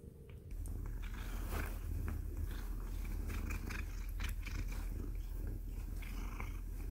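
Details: Domestic cat purring steadily during play biting, a continuous low rumbling drone that holds at an even level throughout, with scattered soft clicks and rustles of handling over it.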